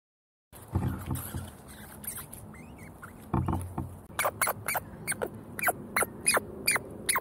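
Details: Squirrels fighting over seeds: after a stretch of rustling and scuffling, a run of short, sharp, high squeaks comes in quick bursts, roughly two or three per second, over faint background noise.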